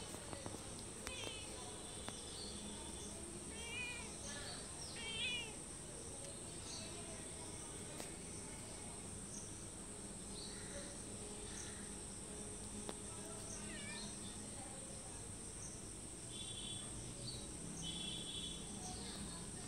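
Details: Several cats meowing for food in front of a house and door, one calling from a wall; short rising-falling meows repeat in brief bursts near the start and again near the end over a steady high insect buzz.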